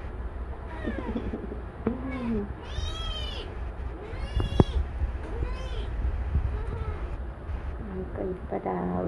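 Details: Newly adopted kitten born without legs mewing repeatedly, high bright calls with rising and falling arcs, mixed with a woman talking softly and faint background music.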